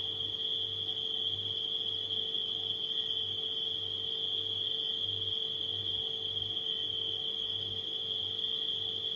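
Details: Crickets at night mixed with a humming refrigerator, the insects giving an unbroken high-pitched ringing trill while a deep throbbing motor hum swells and fades beneath.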